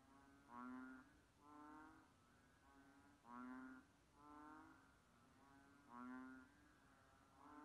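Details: Several banded bullfrog notes in a row, low, mooing and nasal, alternating louder and softer about every 1.3 seconds, with steady background hiss.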